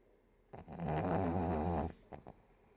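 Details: Pug puppy sleeping belly up, snoring loudly: one long rumbling, buzzy breath lasting over a second with strong low harmonics, followed by a few short soft snuffles in a quiet indoor room.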